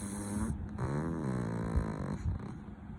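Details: A sleeping pug snoring loudly: a long, rasping, buzzy breath with a low rumbling tone, steady and drawn out, with a slight rise in pitch midway.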